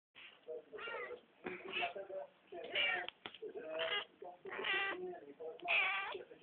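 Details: Black domestic cat that ate a dragonfly, meowing in a long series of drawn-out, wavering calls about once a second, some rising then falling, with brief pauses between.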